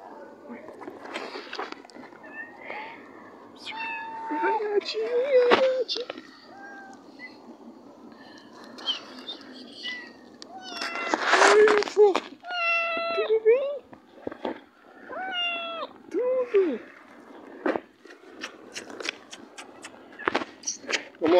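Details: Cats playing among boxes, giving a series of short, clear meows with rising then falling pitch, several in quick runs around the middle, mixed with human speech, handling clatter and background noise.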